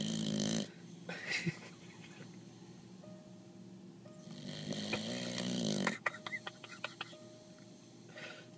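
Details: Awake Mastiff named Billy gives short, deep rattling snores at the start and a longer grating snore mid-clip. A person's voice, scattered clicks and a steady faint hum fill the gaps.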